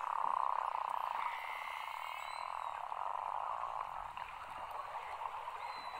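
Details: Beluga whales, part of a summer gathering of over 2000 in Cunningham Inlet, Nunavut, heard from the shore at low tide, fill the water with a steady, buzzy chorus of mid-pitched calls and thin rising whistles.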